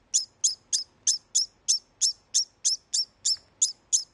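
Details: Male degu after mating, calling to warn other males away from the female, kept in a home with no other males; short, sharp, high chirps repeated steadily about three times a second.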